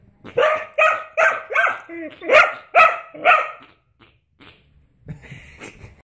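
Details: Dog agitated by a person's armpit fart noises, letting out eight quick sharp barks in about three seconds, then quieter mixed sounds including a person's voice after a short gap.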